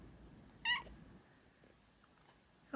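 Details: Pet female cat seeking cuddles from her owner indoors gives a single short, bright meow with stacked harmonics, followed by a quiet pause and the start of another call at the end; a woman's soft voice talks to her nearby.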